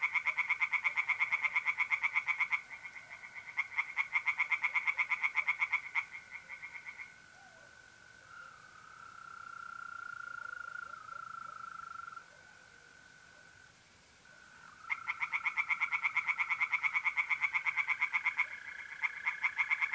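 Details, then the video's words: Mid-April night by a pond in north-east Italy, with tree frogs giving quick, harsh repeated croaks in two long stretches, broken by a quiet gap where only the steady high buzzing trill of mole crickets carries on. "relaxing singing tree frogs in pond"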